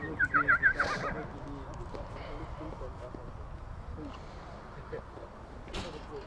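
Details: Stallions from Satu Mare, Bucovina, Romania, filmed in 2022: a brief, quavering whinny of rapid pulsed notes fills the first second, then fades beneath steady murmuring human voices and outdoor background noise.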